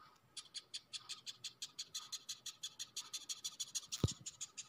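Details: A dung beetle held in the hand, also biting the handler, gives a "crying" rapid series of dry, scratchy squeaks, about seven pulses a second.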